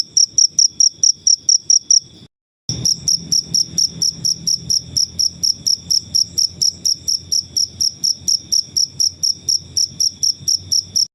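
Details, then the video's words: Wild cricket chirps meant for tutoring songbirds: high, ringing pulses in a fast steady train, broken by a short silent gap after about two seconds, then resuming with a faint low hum beneath. "Suara jangkrik alam/Cricket Noises"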